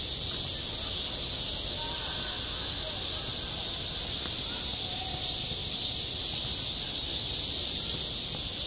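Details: On a school playground in high summer, cicadas keep up a continuous piercing hiss-like drone; faint faraway voices are barely noticeable underneath.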